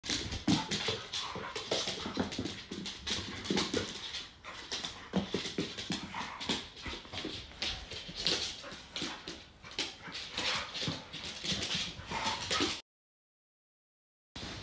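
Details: American Bully puppy Viper and adult American Staffordshire Terrier Jena play very actively indoors at home in the evening: dense, rapid bursts of noisy yelps and growly scuffling, nearly continuous for twelve seconds, then a short silence.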